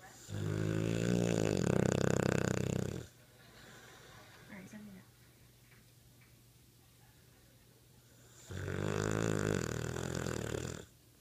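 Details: Snoring American Bulldog: two long, loud, rattling snores several seconds apart, each deep and vibrating, with a quiet pause between them holding faint room noise.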